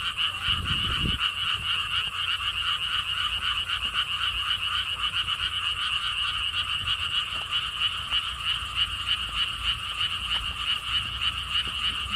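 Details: Frogs calling at a lotus theme park in Siheung, South Korea: a dense, continuous chorus of rapid pulsed croaks, roughly four per second, with a bright high buzzing tone and a brief low thump near the start.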